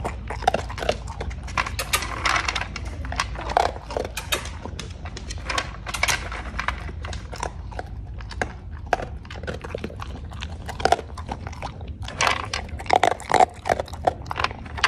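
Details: Sustained chewing from a Cocker Spaniel eating dog food: repeated crunchy bites in clusters with brief quieter gaps, sharper snaps near the end.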